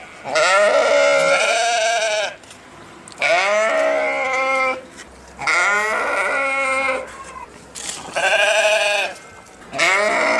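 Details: Sheep bleating in four loud, drawn-out, wavering cries, each lasting one to two seconds, separated by short quiet gaps with faint background hiss.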